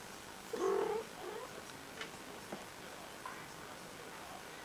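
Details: Six-week-old Siberian kittens of a litter, with a visitor from an earlier litter: one short mid-pitched meow, wavering and slightly rising, then faint clicks and rustling in a quiet room.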